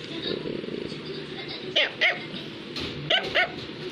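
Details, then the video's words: Barking from an Affenpinscher toy dog: two pairs of short, shrill yaps about a second apart, over a background of people talking. "Affenpinscher is Barking"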